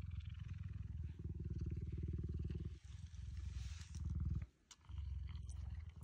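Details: Cheetah purring in a deep, fast, even throb that runs almost without a break, with a short pause near the end and faint rustling above.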